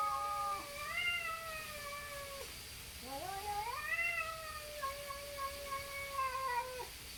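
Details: Neighbourhood cats, possibly tabbies, squaring off before a fight; long nasal yowls that swell upward and sag, repeated about three times with rising, bending tones and faint background hum.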